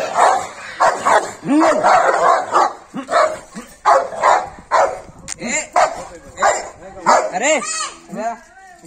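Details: A Rottweiler barks aggressively in rapid, rough bursts, with a human voice in the background.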